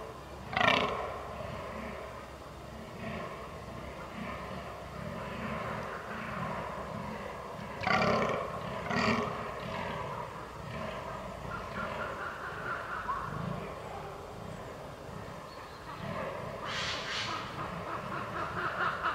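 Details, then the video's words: Fallow deer during the rut, 22 October 2022, Canon R6 recording: harsh, guttural groans in separate loud bursts near the start, around eight to nine seconds and again near the end, softer grumbling between. "DAŇČÍ ŘÍJE / FALLOW DEER RUT"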